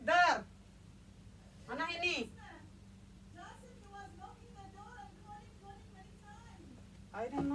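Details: Kitten playing with a bed sheet gives two loud, high, arched meows near the start and another at the very end, with quieter speech-like murmuring between them.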